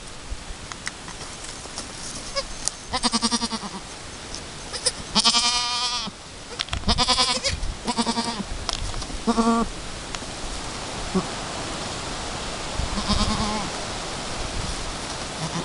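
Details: Two hours after Chiara's first kidding, the Chamois-coloured Alpine doe and her newborn kid try to work out nursing; a series of short, quavering bleats, some loud and some faint, spaced one to two seconds apart over rustling straw.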